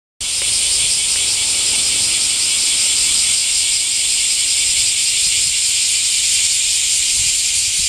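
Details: Cicadas singing in the summer heat, a loud, unbroken, high-pitched shrill buzz that holds steady without pause from start to finish.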